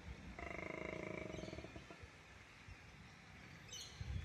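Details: Koala giving its mating call: a harsh, rapidly pulsed snoring bellow with strong harmonics for about a second and a half, fading into low grunting rumbles and then background noise.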